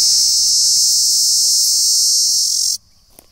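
An insect gives a loud, steady, high-pitched buzzing drone that cuts off abruptly.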